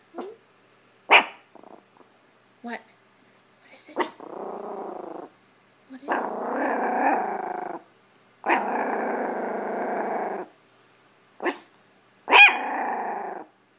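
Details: A Chihuahua gives sharp, high yaps between long, rasping growls, each lasting one to two seconds, barking at a hamper of clothes in a living room.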